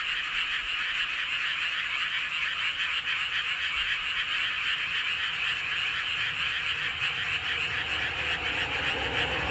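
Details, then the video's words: Frogs chorusing under the full moon in Hoengseong County's Seowon-myeon, Gangwon Province, Korea; a continuous high rapid croaking trill, many voices blending, with a low rumble rising toward the end. "보름달 아래 개구리들의 합창"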